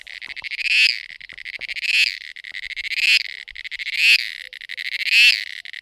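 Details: Mating cicada: a harsh, rattling, high-pitched buzz building into five swelling pulses roughly every second, steady and insistent, with a quiet background.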